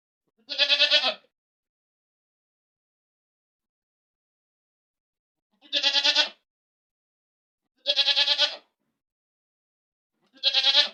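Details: Goat screaming loudly in four harsh, tremulous bleats with dense harmonics, each under a second long, separated by gaps of about two to five seconds of silence.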